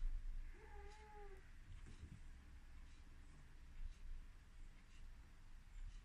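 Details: An excited Ragdoll cat running around gives a single drawn-out meow, a harmonic tone that bends slightly downward, followed by quiet indoor rumble and a few soft knocks.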